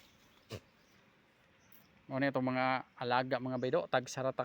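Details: Domestic goats kept as livestock, bleating while being given water: several loud, quavering, nasal bleats in quick succession after a quiet start with a single click.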